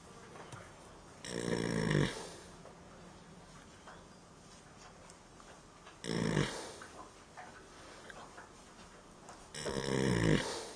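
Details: A horse asleep in a barn snores: three long, low, rasping breaths about four seconds apart, each lasting roughly a second, with quiet room hush between them.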